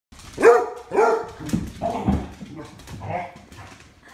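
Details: Playful female Basset Hound Lucy gives two loud, ringing barks in quick succession, excited play barking after running up and down the halls with Maggie, followed by a person talking.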